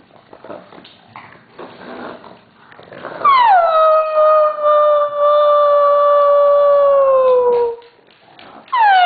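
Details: Siberian Husky, one of three pet huskies being coaxed to howl on cue at home; after soft murmurs and clapping, a long loud howl begins high, slides down, then holds a steady tone for about four seconds before tapering.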